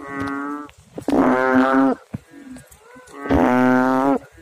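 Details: Frog in water producing two deep, rich, moaning calls close together, each under a second, with softer short notes from other frogs between them.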